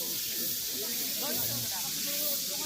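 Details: Male cicada singing right in front of the observer on a red-clay path at Daegu Arboretum, a steady, hissing buzz filling the high range; it had been walking backwards.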